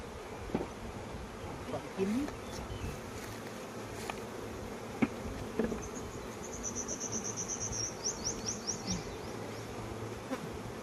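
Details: Steady droning hum of many honey bees at a Cambodian honey farm in flowering season, with scattered clicks and a quick series of high thin bird chirps in the second half.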